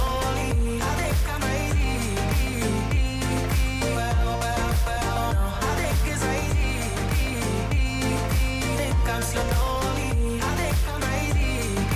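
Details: Upbeat pop music with singing and a steady, heavy beat plays throughout.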